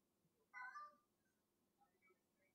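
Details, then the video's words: Gloria the cat meows once while playing with a piece of string indoors, a short harmonic cry lasting about half a second, followed by quiet room sounds. "Gloria meowing with a piece of string"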